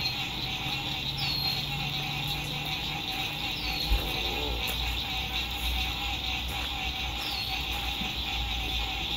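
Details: Frogs fill a spring 2021 lakeside sunset at an RV camp with a constant high trilling chorus and a lower pulsing hum. Road noise rumbles low, with a brief knock near the middle and a few falling whistles from birds.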